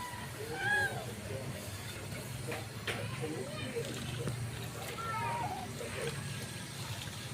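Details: Stray mother cat meowing to call her kitten Nemo, who is trying to wander off; two clear arched, high meows, one early and one about four seconds later, over a low rumbling background with faint murmuring.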